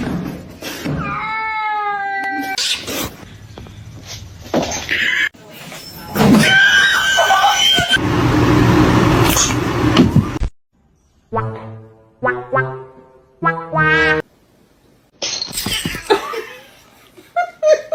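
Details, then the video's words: Kitten meowing indoors: a run of harmonic, drawn-out meows, some wavering and others rising then falling, spaced by short silences, with bursts of loud human laughter, screaming and chatter in between. "Kitten meowing"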